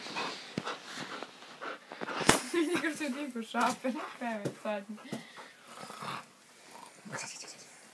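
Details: Akita. An Akita gives a run of mid-pitched, wobbling moans and yodel-like grumbles that rise and fall, the playful 'talking' of the breed. Human voices speak around and over it.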